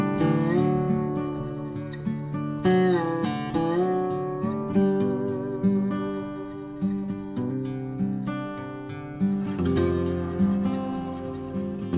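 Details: Strummed and plucked acoustic guitar music plays throughout with no animal sounds.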